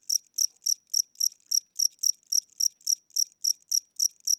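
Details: Weary old cricket chirping indoors at night with slowed wing speed; loud, clean, metallic pulses repeating evenly about three and a half times a second, no other noise.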